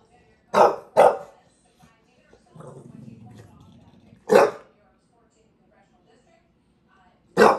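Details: A bulldog in New York City on a long barking rant gives loud, harsh single barks in pairs and then spaced several seconds apart, with a low grumbling growl between them.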